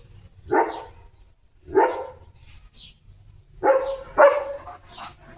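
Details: German Shepherd named Leo, indoors at play with a water mug gripped in his jaws, gives four separate barks: two spaced about a second apart, then a closer pair near the end.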